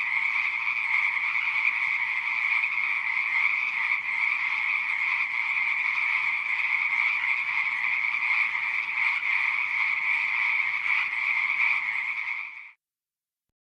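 A dense pond chorus of frogs, countless rapid trilling calls blending into one steady, high-pitched drone.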